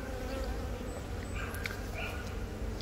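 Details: A honey bee hive in Yongin Baegam, Korea, on April 20, where a virgin queen from the first natural swarm of the year started laying. Filmed with a Galaxy Note 10, it carries a dense humming drone with faint short higher tones midway.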